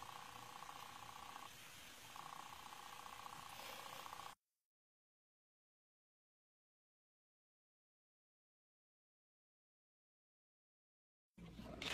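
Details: A faint electrical hum plays for four seconds, then total silence, and a short burst of noise comes at the end.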